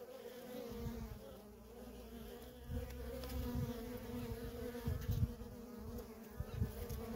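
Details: Nonstop traffic of worker honey bees at a feral colony: continuous layered buzzing hum, low and steady, with brief louder swells as single bees pass near.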